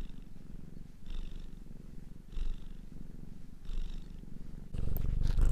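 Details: Cat purring softly in a low rumble with gentle breath swells roughly every 1.3 seconds, turning louder and coarser in the final second.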